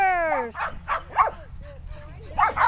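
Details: Sheltie puppies and dogs romping in a yard in 2010, with six 8.5-week-old puppies among the herd; a drawn-out falling human voice opens, then several sharp, bright barks come in quick, uneven bursts.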